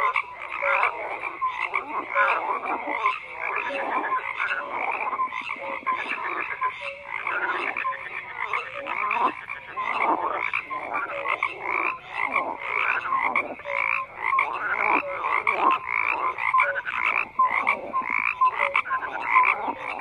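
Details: Continuous frog chorus of croaking calls, countless overlapping grating pulses and occasional short whistles forming an unbroken, gently fluctuating wall of sound.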